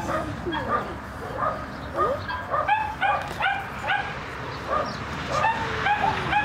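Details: Excited high-pitched yips and barks from a French Bulldog, coming in quick irregular bursts throughout, mixed with short whimpers and a constant room hiss.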